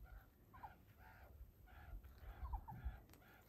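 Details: Young meerkats (Suricata suricatta) wrestling and playing tag give short, nasal, harmonic calls repeated several times a second, with a few quick chirps.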